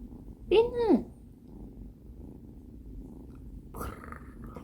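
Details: Binwoo, a female kitten on her first day in a new home, gives one clear meow that rises and then falls, lasting about half a second. A quiet stretch follows, then a short burst of household noise near the end.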